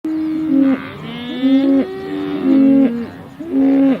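Cattle give a run of fairly high, steady moos, each under a second, overlapping one another.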